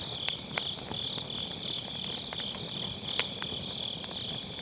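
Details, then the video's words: Grass insects calling on an autumn night beside a wood fire, Sennheiser MKE600 recording: a steady high-pitched trill runs under several sharp firewood pops. "가을밤 풀벌레 소리"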